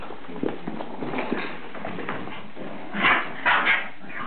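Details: Shiba Inu puppies fighting grumble and growl low, then break into sharp, high yelps near the end.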